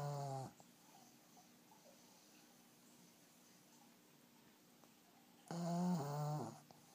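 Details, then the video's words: Loud snoring from a sleeping black pug. A buzzing, low snore ends, near-silence follows for about five seconds, then another harsh, rattling snore of roughly a second with a dip in the middle. "黒パグ いびき"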